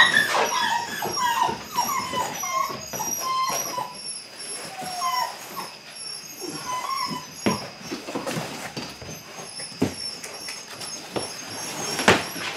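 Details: Several eight-week-old Belgian Malinois puppies during early bite work produce brief falling whimpers early on, then sparse clicks and knocks with low whines in the second half.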